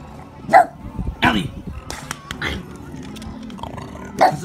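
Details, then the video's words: Dog barking at people during a Christmas parade, sharp single barks spaced about a second apart, four or five in all, with a woman scolding it and crowd noise in the background. "barking at Xmas parade"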